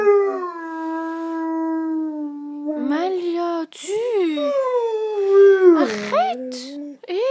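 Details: Malia, a female Great Dane, howls as her owner leaves: a long steady drawn-out tone that sags, breaks into wavering yodel-like slides and rising-falling swoops, ending with a short clipped cry.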